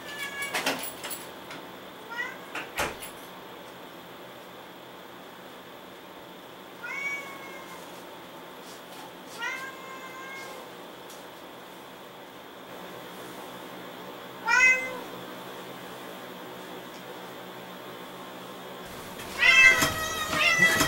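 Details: Moo, a pet cat, greets returning owners at the front door with short harmonic meows spaced several seconds apart, some rising then falling, over a quiet room hum, with a few door or handling clatters and a louder burst near the end.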